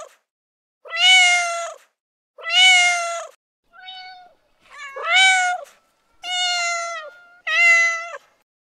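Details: Cat in heat repeating long, drawn-out meows about every one and a half seconds, six calls in a row, one noticeably softer, with clean silence between them.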